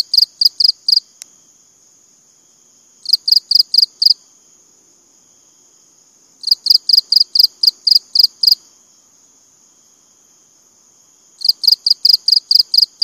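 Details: Repeated bouts of shrill cricket chirps, five to ten rapid pulsed chirps per bout, separated by pauses of two to three seconds, over a steady faint high whine.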